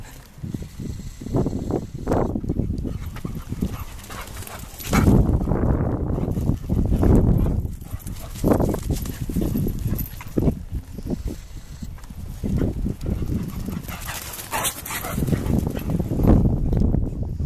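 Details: Two dogs playing together: rough, low growling and huffing bursts come in irregular waves, some loud and sustained, with scuffling noises in between.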